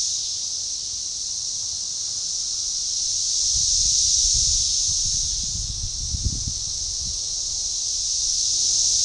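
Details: Periodical cicadas, Magicicada tredecassini, in an organized synchronizing chorus near DeValls Bluff, Arkansas, June 7, 2015, forest edge: an unbroken high droning whine swelling mid-clip and again at the end, over soft low rumbling and rustles.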